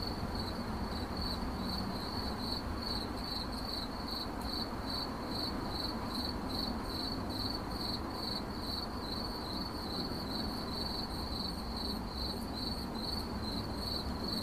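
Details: Cricket chirping steadily, short high-pitched pulses repeated about two to three times per second throughout, over a constant low rumbling background noise.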